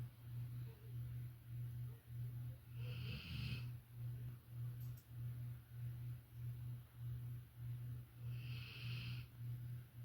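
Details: Sleeping Labrador Retriever named Violet snores in a deep, even rhythm of low pulsing rumbles, about a breath every half second, broken twice by short airy higher-pitched hisses.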